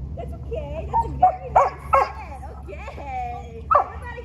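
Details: A female German Shepherd in early training, distracted and checking everything out, lets out short abrupt barks in a quick cluster and one later bark, mixed with whining tones and a trainer talking.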